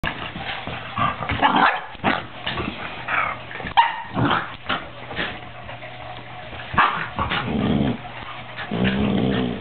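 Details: Two 13-week-old puppies in boisterous play, giving short yappy barks and rough growling bursts, uneven and overlapping, with scuffling noise between calls.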